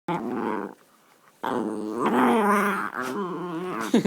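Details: A dog making funny noises indoors, a long growling, moaning vocalisation with a harmonic, wavering tone, broken by a short pause, then rising and falling again, ending in a higher whine.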